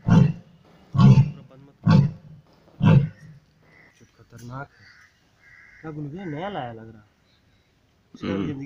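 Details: Lion. Four booming, low grunts from a lion come roughly a second apart, rough and chesty like the tail end of a roaring bout. A wavering, tonal voice follows, then one more deep grunt closes the passage.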